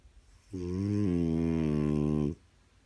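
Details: French Bulldog indoors while its owner tries to watch TV; one sustained droning, nasal whine or groan lasting nearly two seconds, steady pitch with a slight step up midway, then quiet room.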